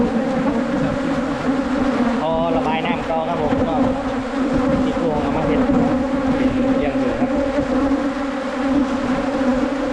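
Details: Wild Asian honey bees during a 2022 honey-hunting trip: a dense, steady droning hum from many bees with layered harmonic tones, and a brief human voice breaking in around the middle.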